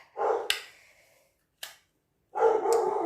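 An Australian Shepherd gives loud, harsh barks, the alert of a guard dog that has spotted someone.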